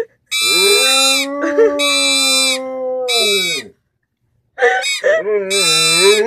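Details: Pit bull. A pit bull lets out drawn-out, sliding howls that dip and waver in pitch. Buzzy, honking toy-trumpet notes sound in bursts throughout, with a short pause midway.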